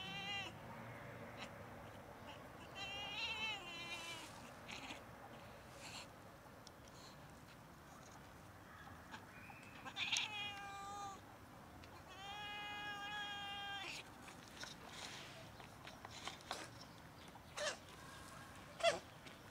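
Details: Cats in love during rough mating: several separate harmonic yowls and wails, some short and some held about a second, with scattered clicks and bumps between calls.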